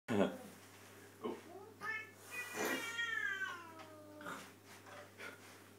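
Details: A cross-eyed chocolate point Burmese cat makes weird, drawn-out, wavering meows sliding downward in pitch while eating, with a brief human murmur.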